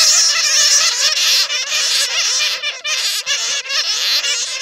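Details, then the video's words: Bats, a real recording from bats caught in a net, used as a lure sound to attract bats: dense overlapping squeaky, chattering calls with rapid wavering notes, many animals calling at once without pause. "SUARA PIKAT KELELAWAR JERNIH"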